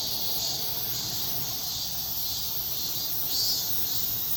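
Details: Cicadas singing at dawn in South Korea, a dense, steady hissing buzz high in pitch that swells slightly and never pauses, with no other clear sounds.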